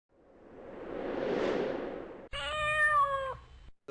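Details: A cat, one of several house cats being fed yogurt by their owner, gives one steady, drawn-out meow lasting about a second, after a swelling whooshing sound effect.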